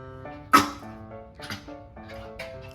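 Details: A one-year-old male Maltese dog barks aggressively at his reflection in a mirror: three sharp, high barks about a second apart over background music.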